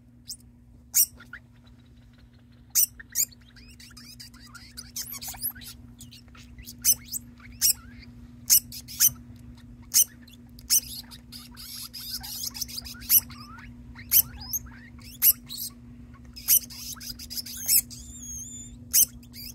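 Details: Pet degu Ocher calling on and on without stopping, not singing, while housemate degu Buff joins in as if harmonizing until both settle; sharp high chirps and clicks repeat in irregular bursts over faint thin sweeping squeaks and a steady low hum.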